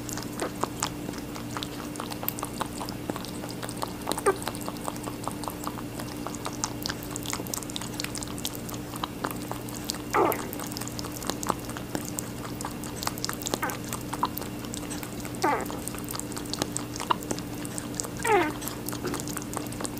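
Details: Rabbit eating watermelon indoors: rapid crisp, wet chewing clicks in quick irregular bursts throughout, over a steady low electrical hum, with a few brief sweeping squeaks near the end.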